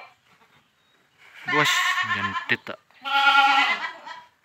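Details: Boer goat at a village farm during crossbreeding: two long, wavering, strongly harmonic bleats, with a short lower grunting sound and sharp clicks between them.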